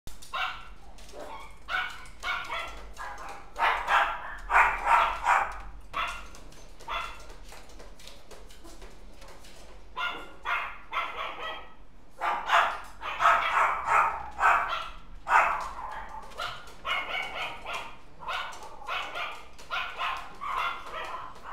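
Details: Dog recorded on November 19, giving rapid bursts of short, sharp yapping barks in clustered volleys, close and loud, with brief pauses between runs and a faint low hum underneath.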